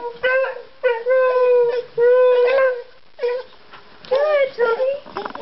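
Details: A Beagle howls in short, wavering, mournful bursts, anxious at being left alone; he runs to the window and howls whenever his owners leave, even just to check the mail.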